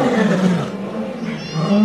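A lion gives deep, rumbling roars that sweep low and powerful as a warning to other animals.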